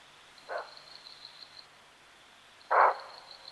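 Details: A bushbuck at Crocodile Bridge Camp, Kruger National Park, gives its alarm call: two short, hoarse barks a couple of seconds apart, the second louder and rougher, over a thin, steady insect drone.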